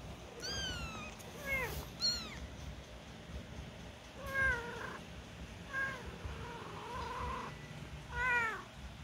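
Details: Week-old kittens taking their first wobbly steps cry out in repeated high mews, some short and falling, others drawn out and wavering, with louder bursts at intervals above a faint background hum.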